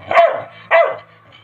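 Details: Angry Labrador Retriever barking twice, loud and rough, roughly 0.6 seconds apart, with little else around.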